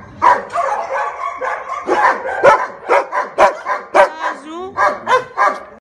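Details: Female Rottweiler giving a string of harsh, rapid barks, about a dozen in six seconds, with a high, wavering whine-like sweep midway before the barking resumes.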